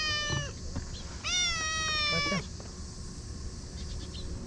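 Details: Affectionate stray cats at a Japanese fishing harbour at dusk; several meows, a short one followed by a long, loud, drawn-out meow, then a brief softer call, with low background noise.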